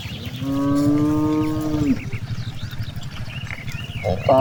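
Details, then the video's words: Cows grazing in a vast rice field: one long, steady, low moo lasting about one and a half seconds, then a brief call starting at the very end, over a rumbling background with scattered bird chirps. "the sound of cows"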